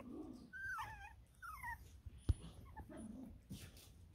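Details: Six-week-old Border Terrier puppies indoors giving thin high whining whimpers that rise then slide down, several short squeaky cries, with a sharp click midway and soft low grumbles.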